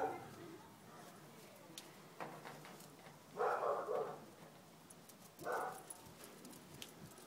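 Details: Ida, an adopted Jack Russell-Fox Terrier cross female dog, telling off a Labrador: two short, harsh bark bursts a couple of seconds apart, fairly faint, amid quiet outdoor background.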